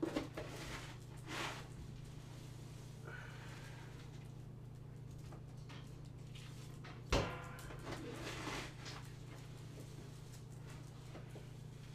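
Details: A steady low hum fills a small indoor room, broken by knocks and drawer- or door-like clunks, with a sharp thump near the middle.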